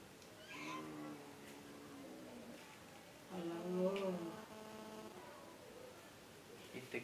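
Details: Domestic cat giving two drawn-out, harmonic meows, the first long and level, the second shorter with a rising then falling tone, while a person talks quietly in the background.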